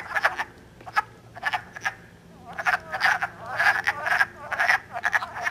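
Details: Wood frogs (Lithobates sylvaticus) calling and mating early in Elmer, New Jersey, on 3 March 2012 give short, hoarse, clucking croaks in quick, irregular bursts, like quacking ducks.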